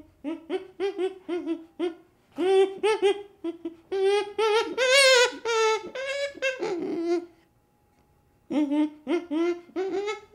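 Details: Infant chimpanzee whimpering in rapid, tonal pulses that build into louder, strained cries at the middle, then quiet briefly before the short pulsed calls resume.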